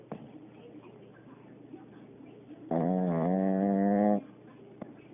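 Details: A pet Pekingese gives a single loud, droning snore lasting about a second and a half.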